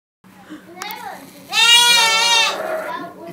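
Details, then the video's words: Baby goat yelling: one loud, harsh, strained bleat lasting about a second, preceded by faint quieter sounds and followed by a fading tail, with soft voices around. "Yelling baby goat"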